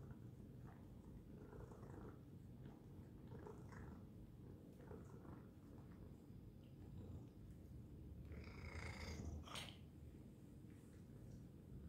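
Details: Domestic cat purring loudly indoors: a steady low rumble throughout, with faint rhythmic breathing pulses and a brief brighter rustle near the ninth second.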